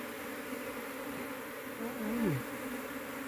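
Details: Droning hum of a big Apis cerana honey bee colony during a hard search for the queen; the steady low buzz swells briefly midway, with a soft thump and a passing slide in pitch.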